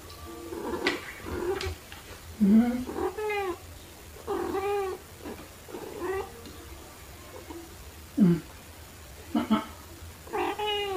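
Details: House cats, a black one and a torby, at play with fluffy toys in March 2021, recorded by phone with a small shotgun mic; about seven short, bending meows spaced a second or two apart, some chirpy, with soft human murmurs.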